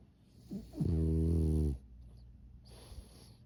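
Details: A sleeping pug snores indoors: one long, deep, droning inhalation lasting nearly a second, rich in low buzzy harmonics, followed by quiet breathing and a faint high hiss in the background.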